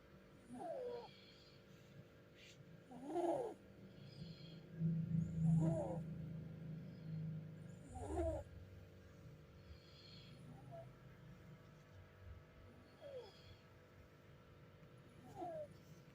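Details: Sleeping cat snoring softly: about seven short, wheezy, nasal snores spaced roughly every two to two and a half seconds, with a low steady hum underneath in a quiet room.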